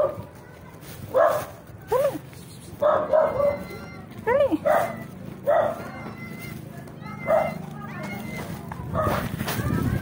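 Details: Street dogs welcoming a friend they recognise, giving excited yelps and sharply bending, whine-like cries in quick bursts, the calls rising and falling over steady low background noise.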